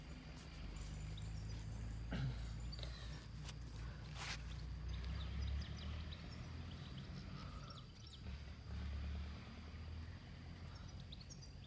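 A common cockchafer gives a deep, droning buzz, low and steady, with a few clicks and knocks.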